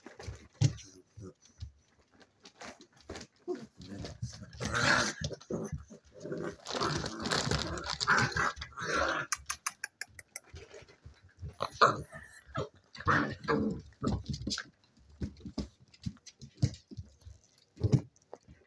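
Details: Playing seven-week-old spaniel puppies give a long stretch of harsh growling and snarly yaps, building to a dense scrap mid-way, then short broken growls and yips, with light speech in the background.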